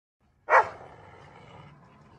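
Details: Dogs barking through a gate, which quickly back down when it opens, give one loud, sharp bark that rings briefly and fades into a soft echo.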